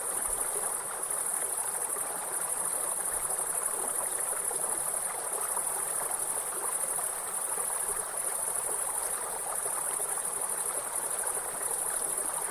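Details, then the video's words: Grasshopper calling beside a river: a steady, unbroken high-pitched hiss that holds at one pitch throughout, over the broad rushing sound of flowing water. "Grasshopper Sound"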